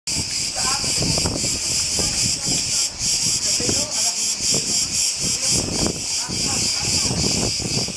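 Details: On the island of Crete, Greece, cicadas sing a loud, continuous, high, sizzling buzz that holds steady from start to finish, with low human voices murmuring underneath.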